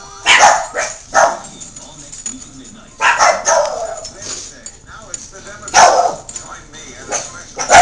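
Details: Miniature Pinschers and a Jack Russell Terrier worked up into a frenzy, giving sharp, high barks in short bursts with gaps between them. Faint voices and some background noise run underneath.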